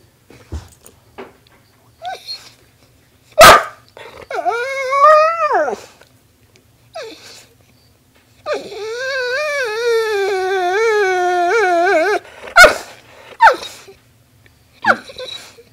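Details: A pet dog named Soxton, indoors, 'telling stories' while its owner talks to it: long wavering whimpering howls that rise and fall in pitch, two drawn-out passages of several seconds, with a man's voice and sharp clicks between them.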